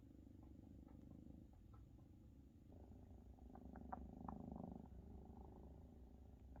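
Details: Purring Maine Coon kittens nursing from their mother Luna, who still feeds them though they are nearly half her size; a low pulsing rumble that thickens midway, with light smacking clicks.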